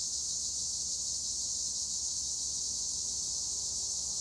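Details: Tree crickets (Acheta assimilis) in olive trees at Güre, Edremit, Turkey keep up a steady, high, shimmering trill that never pauses.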